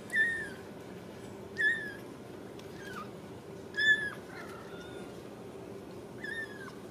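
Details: Young Ragdoll kitten in a central Kansas home cattery, struggling on a slick floor, gives five plaintive high mews at irregular intervals, some bending downward at the end, over faint indoor background hum.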